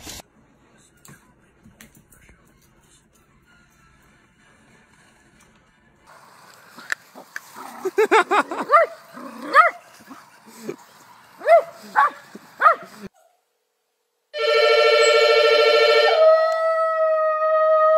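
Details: Poodle puppies yipping in an irregular series of high, sharp barks after a near-silent start; a loud sustained musical tone cuts in at the end.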